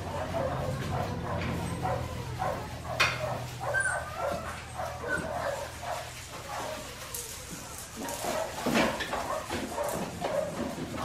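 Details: Five-week-old Australian Shepherd puppies from Priscilla's litter at Fifteen Acre Farms, Oklahoma, giving scattered short whimpers and high yips over a low steady hum, with some human voices and handling noise.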